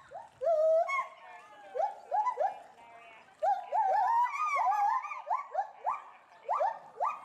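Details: Agitated agile gibbon couple in a zoo enclosure at Bristol Zoo Gardens, UK, reacting to something in the bulrushes below. Rapid series of loud upswept hoots, the two voices interweaving and repeating about twice per second.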